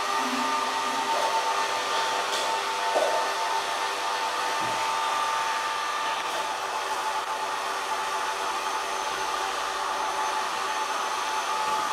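A steady broadband mechanical whir like a hair dryer fills the recording, with no animal voice.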